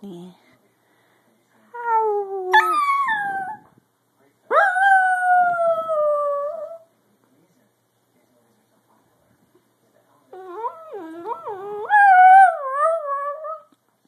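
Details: Dachshund. A Dachshund gives three long howls: the first slides downward, the second holds a steady tone, and the last wobbles up and down. A brief human voice is heard at the very start.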